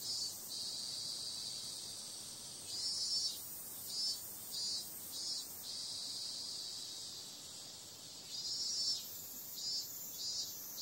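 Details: Night cicada chorus, a shrill high-pitched buzz that swells in short repeated bursts, alternating with longer steady stretches of droning.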